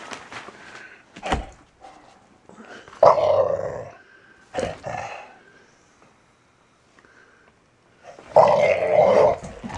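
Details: Three-year-old Valley Bulldog Archie growling and snarling as he plays indoors; scattered short grunting snarls early, then a strong rumbling growl burst near the middle and another toward the end, with quiet gaps between.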